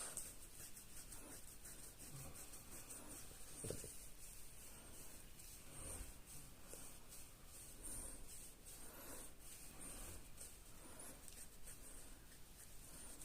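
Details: A female French Bulldog lying down after her morning walk, having her belly scratched, snores softly, with low rasping breaths repeating about every two seconds.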